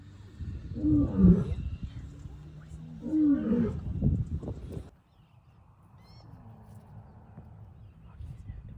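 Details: Male lion in the wild in the Serengeti, Tanzania, calling to communicate with his pride: two deep, heavy roaring grunts about two seconds apart in the first five seconds, then near-quiet with faint background hiss.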